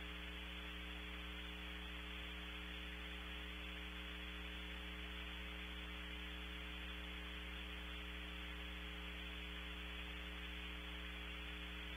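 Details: Only a steady electrical hum and hiss of static; no animal calls can be picked out.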